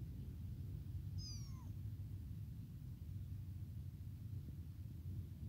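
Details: Tiny, newly abandoned kitten crying non-stop for its mother, hungry for milk: a single high, thin meow that slides downward, over a steady low rumble of background noise.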